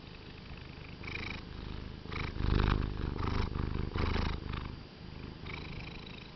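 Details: Seth, a pet cat filmed in 2013, purring strongly and contentedly while relaxing on a bed; a deep, rumbling purr pulses with each breath, swelling louder in the middle before settling back to a softer steady drone.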